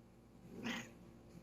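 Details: A Bengal cat gives a single short, rising-and-falling meow in a quiet room just after her owner sneezes, as if saying "bless you".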